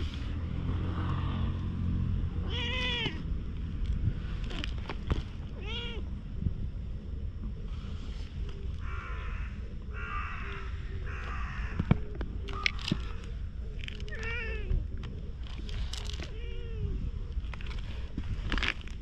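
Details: Repeated meows from a stray cat, filmed with a GoPro: short arched calls spaced every couple of seconds, some clipped and some drawn out, with constant low-pitched background rumble and occasional clicks.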